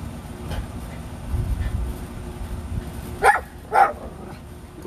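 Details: Back-yard playtime for Rat Terrier siblings Bandit and Jewel: after a stretch of low murmur and rumble, two loud clipped barks ring out half a second apart near the end.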